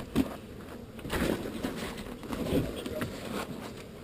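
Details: Honey bee swarm being moved from an undesired spot while beekeepers handle smoke and comb: a steady, low droning buzz runs throughout, broken by a few soft knocks and handling sounds, with faint human voices.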